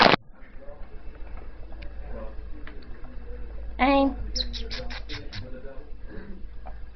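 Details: One-hour-old newborn Staffordshire Bull Terrier puppies from a litter of eight give a quick run of thin, high squeaks beside a person's voice.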